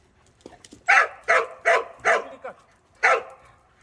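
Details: A dog named Cheondung, just back from a walk, barks five times in sharp, loud bursts: four in quick succession about every half second, then a short pause and a fifth bark.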